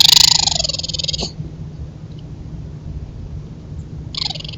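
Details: Raccoons making loud mating noises at each other, caught on a trail camera: a harsh, rapidly pulsed, high trilling churr opens loudly, fades within about a second, then a shorter burst returns near the end over faint low background hum.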